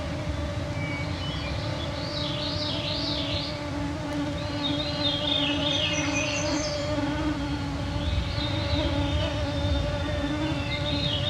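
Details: Mosquito clouds in the Canadian Shield, northwestern Ontario, Canada, 9pm on a June 2024 summer evening: a persistent whining drone over a low rumble, with several wavering bird songs rising and falling.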